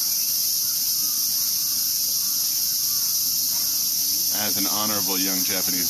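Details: Dense cicada chorus in Tokyo's Ueno Park during their yearly emergence, a steady shrill buzzing wall of sound throughout, while a man talks loudly in the second half.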